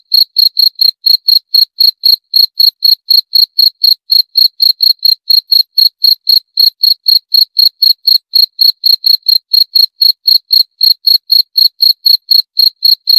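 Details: Cricket (jangkrik) chirping in a steady, unbroken series of short, shrill, high-pitched pulses, about four per second and evenly spaced, with no other sounds present.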